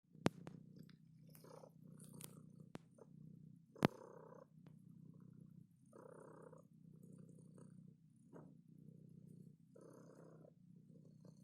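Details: Domestic cat purring when touched: a steady low rumbling purr in even pulses, with brief faint higher sounds and a few sharp clicks over the top.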